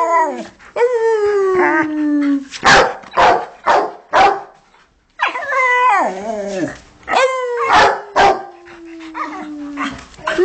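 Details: Pet Rottweilers reacting to music, one howls while the other barks: drawn-out wavering howls that sink in pitch, alternating with bursts of quick, loud barks at about two per second, with a brief silent gap midway.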